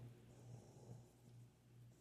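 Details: A female Rottweiler puppy, fast asleep after being picked up and held, snores with a soft, low, steady rumble.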